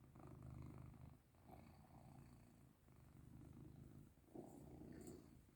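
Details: Caesar, a house cat enjoying rubs, produces a strong, low rumbling purr in alternating in-and-out breath pulses about once a second, with faint rustling in the background.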